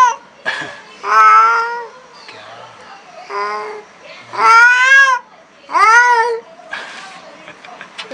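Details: Angry black cat confronting a new cat gives several separate drawn-out yowls, some wavering and bending upward, between quieter stretches with faint rustling and low murmurs in a small room.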